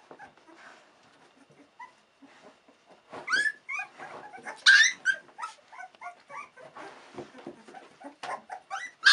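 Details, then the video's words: Litter of 16-day-old Australian Cattle Dog puppies exploring their world indoors: quiet scattered squeaks at first, then bursts of shrill whimpering and yipping, short wavering whines and sharp high yelps in irregular clusters. "Australian cattle dog 16 jours"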